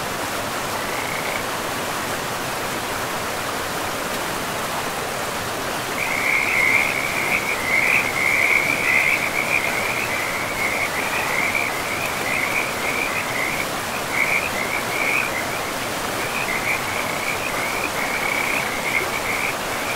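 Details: Frogs along a river deep in a pristine forest. A short raspy call comes early, then after a pause a long stretch of dense rattling croaks, loudest at first and continuing to the end, over a steady roar of running water.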